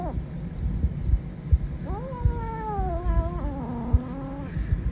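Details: Growling Savannah kitten gives one sustained, wavering moan that starts higher and slowly slides downward over about three seconds, over steady low-pitched background rumble and soft knocks.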